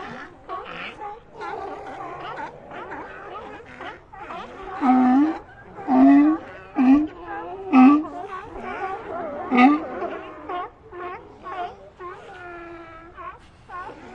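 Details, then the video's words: Group of sea lions with a background murmur of mixed calls, broken by about five loud, low harmonic barks that rise slightly, spaced one to two seconds apart, then quieter moaning calls toward the end. "Ambient Sea Lions"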